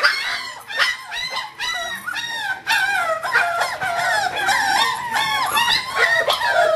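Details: Shrill puppy squealing from Kahlua, an English Springer Spaniel five weeks old, recorded 14 January 2012. Dense, steady run of short, high, wavering yelps, about two per second, overlapping almost continuously.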